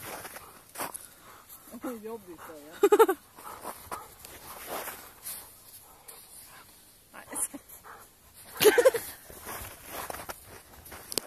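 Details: Two Rottweilers playing indoors; high wavering whines and yelps rise and fall around two to three seconds, with another sharp yelping burst near nine seconds, over a woman speaking Swedish.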